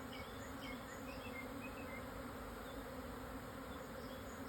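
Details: Japanese honey bee swarm, midday 17 June 2024, southern Yatsugatake foothills in Hokuto, Yamanashi, Japan, 1054 m elevation, calm after strong wind; thick steady buzzing hum, with light high bird twitters scattered over the first seconds.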